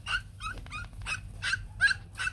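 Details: Fluffy white Bac Ha puppies of a Vietnamese native breed whimpering for their mother: seven thin, high, nasal yips in quick succession over about two seconds, each a brief bright squeal, above a faint hum.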